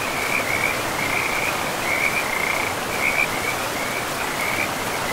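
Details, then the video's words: Forest river frogs give short trilling bursts every half second or so, high and bright, layered over the continuous hiss of running water. "River and Frogs sleep sounds"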